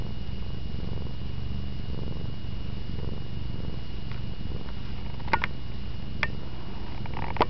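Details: Sleeping cat cuddled up on a bed with a teddy bear, purring in a deep, pulsing, even rumble, with a few sharp clicks near the end.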